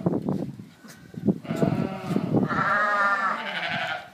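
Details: Dorper and White Dorper sheep on a ranch; a sustained, wavering harmonic bleat rises out of a jumble of lower bleats and clatter, held for about two seconds.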